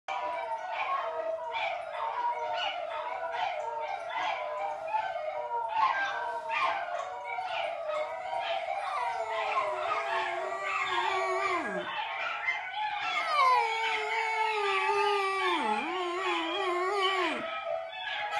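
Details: A Basenji sings in a wavering, yodel-like voice, its tones sliding up and down in long phrases, reacting to a video of another Basenji.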